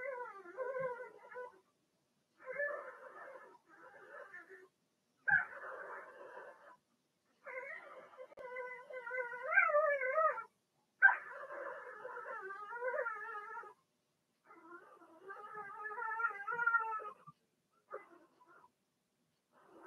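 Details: Blenheim Cavalier King Charles Spaniel puppies, Remy's first litter of six, in an indoor puppy pen; quieter, irregular whimpers and whines, some sliding upward, in short bouts separated by brief silences.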